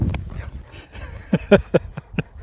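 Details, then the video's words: Sherpa, a pet dog out on a walk, 'talking' nonstop to his owners: a quick run of five short, grumbly yelping bursts spread over about a second, following a stretch of low wind rumble. "This dog wont stop talking!"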